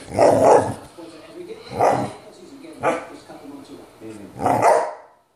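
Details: Soft-coated Wheaten Terrier giving four loud, rough barks spaced about a second apart, with quieter voiced sounds between them.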